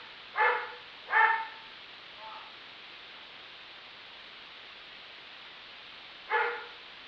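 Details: Neighbor's dog, reported to bark 63 times in a minute, lets out two sharp barks in quick succession and a faint softer one, then silence for about four seconds before a single final bark.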